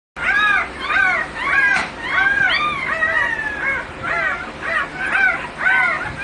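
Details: American Bully from a breeding kennel whining: high, arching yelps that rise and fall in pitch, repeated roughly every half second in steady bursts with little background noise.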